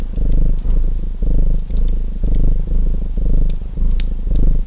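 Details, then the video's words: Purring domestic cat mixed with a crackling chimney fire; a deep, throbbing purr rises and falls with each breath, roughly once per second, while bright clicks and snaps of burning wood pop above it. "Purring Cat Sounds | Feu de Cheminée et Ronronnements"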